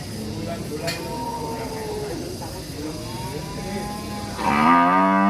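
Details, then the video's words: Angry cattle in an Indonesian village, described as ngamuk: a background babble of faint low lowing, then a loud harmonic moo starting near 4.4 seconds and holding steady to the end. "SUARA SAPI NGAMUK LUCU DAN MERDU SUASANA DESA"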